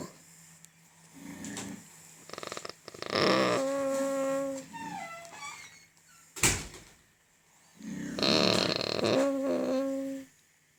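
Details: A pig having its teeth checked gives drawn-out, tonal squeals mixed with rough grunts, with a sharp knock partway through.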